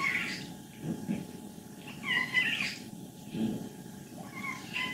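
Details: Old, contented 14-year-old she-cat in Leutkirch im Allgäu, in good health per the vet, giving short high squeaky calls about every second, mixed with low rattling grumbles.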